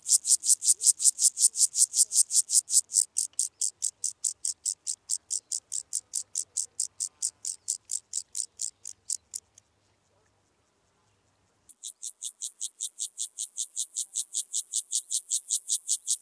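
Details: Club-legged grasshopper recorded in Leogang, Austria, 5 September 2023: rapid high rasping pulses about two and a half per second, fading slightly, then a two-second silence before the pulsing returns and gradually builds again.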